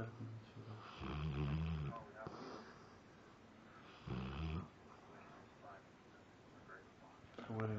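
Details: A Labrador Retriever, apparently dreaming or having a nightmare with twitching eyes, gives low, throaty buzzy snores returning every few seconds while people talk softly nearby.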